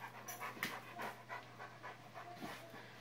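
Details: A Rottweiler and Akita cross dog sits in a small pub during an autumn training camp at Zbraslav near Brno, Czech Republic, October 2016. It pants in soft, breathy puffs about every half second, with a steady low hum behind.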